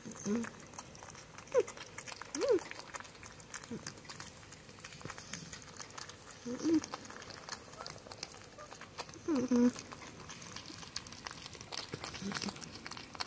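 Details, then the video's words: Pet porcupines Spike and Chonkers on Halloween, where Spike makes happy sounds as she eats; a few faint, short squeaky whines, some rising and some falling, come at irregular gaps over soft indoor rustling and chewing. "Porcupines on Halloween making Happy Sounds"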